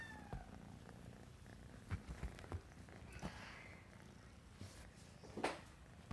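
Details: Purring RagaMuffin kitten, a sable classic tabby tuxedo boy, indoors: a steady low pulsed rumble, broken by a few soft taps and rustles, with a faint high squeak near the start.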